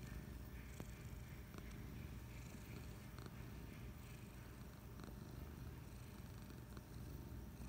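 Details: Relaxed on the couch on a Friday afternoon, Patches the cat keeps up a constant low, throbbing purr, steady in rhythm, with a few faint clicks and rustles indoors.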